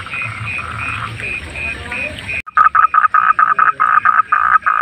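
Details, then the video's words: Frogs calling among night animals in the wild, heard as a relaxing sleep sound: a steady chorus of pulsed croaks, then a louder, closer frog giving rapid choppy bursts of croaks in quick succession over a background hum. "Relaksasi suara kodok penghantar tidur"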